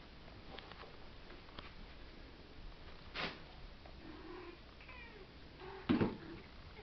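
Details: Chevy, a domestic cat, indoors, gives a faint, short, wavering meow midway, with clicks and soft thumps around it and low room hum beneath.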